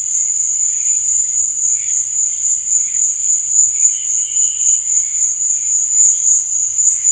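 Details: A continuous shrill cricket trill at night stays level and unbroken throughout. Fainter, lower chirping bursts flicker through the background.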